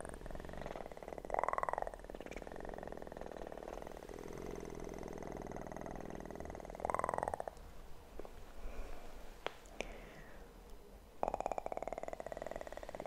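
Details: Kitten purr captured for ASMR relaxation, a continuous buzzing rumble throughout, broken by short arched mew-like tones and a few sharp clicks and taps.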